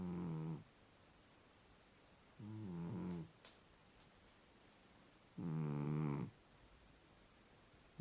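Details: Sleeping Scottish Fold cat called White, lop-eared and snoring soundly: three deep, rasping, rumbling snores a few seconds apart, each lasting under a second, in a quiet room.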